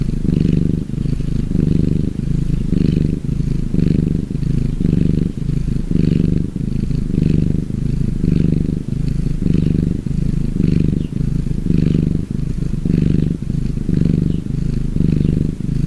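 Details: A relaxing gray tabby cat purrs steadily, a deep rumbling drone that swells and fades with each breath.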